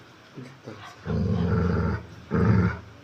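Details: A dog gives two low, rough, growling vocalisations, one long and one shorter, each lasting under a second, against a quiet background.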